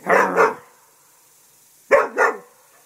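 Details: English Springer Spaniel barking at a turtle while guarding the house: two quick double barks, loud and gruff, separated by a second and a half of quiet.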